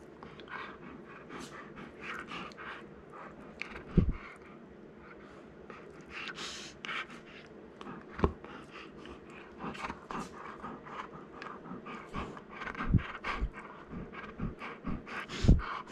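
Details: A young male Golden Retriever, born 19 April 2019, pants in quick, breathy bursts while gently mouthing a person, growing more excited as the play escalates.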